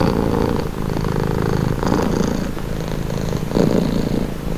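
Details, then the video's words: Relaxing purring from a domestic cat: deep, buzzing, evenly pulsed rumble alternating between inhaled and exhaled phases about once a second, slightly louder toward the end, in a quiet setting. "Purring cat"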